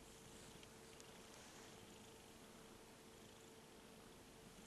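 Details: Domestic cat purring softly, a steady low rumbling throb lasting the whole stretch beneath a constant broadband hiss and a faint steady electrical hum.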